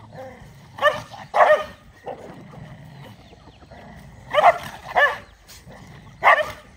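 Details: Dogs feeding on rice bark in pairs of quick yaps, two early and two later, then one more single bark, with a faint steady hum between them.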